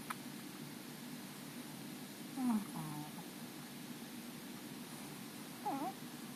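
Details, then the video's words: Domestic cat asleep and twitching, giving two brief squeaky snore sounds, the first a short falling whistle with a murmur after it, the second a wavering nasal squeak about three seconds later, in an otherwise quiet room. "Cat Snoring and Twitching"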